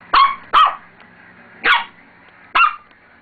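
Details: Roxy, a pet dog, barks at her own reflection in a mirror that she doesn't recognise as herself. Four sharp, high barks come in an uneven rhythm, two quickly together and then two spaced about a second apart, in a quiet room.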